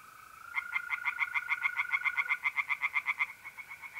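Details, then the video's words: Singing tree frogs at a pond on an April night in north-east Italy, giving a quick run of loud, evenly spaced rasping croaks that fades toward the end, with a steady mole-cricket trill running underneath. "relaxing singing tree frogs in pond"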